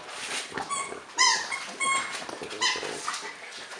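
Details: French Bulldog at Christmas time, indoors: repeated short whimpers and yips, bright harmonic tones stacked high, coming in quick separate bursts about every half second to second, with breathy snorts between.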